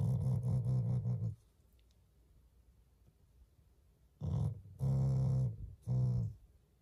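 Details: Shiba Inu family dog growling affectionately at its owners, not in anger: a deep, buzzy, throaty growl lasting over a second, near silence for about three seconds, then three loud rumbling growls in quick succession.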